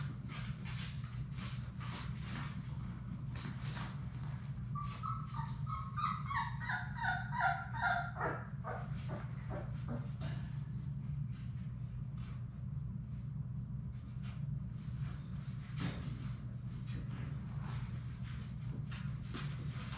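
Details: Playing Labrador Retriever puppies, Sadie's litter of six, in an indoor play room. A short burst of rising and falling whimpers and yips comes midway, surrounded by scuffling clicks, knocks and a constant low hum.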